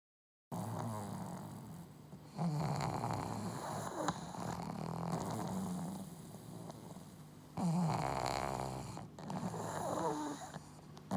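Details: Two pugs kept together in one home snoring loudly in sync: rough, rumbling breaths with a steady low drone, swelling louder around the third and eighth seconds, then easing back.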